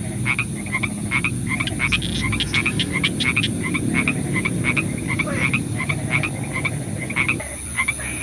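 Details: A chorus of frogs on a rainy night, short nasal croaks repeating several times a second from multiple callers over a continuous low background rush.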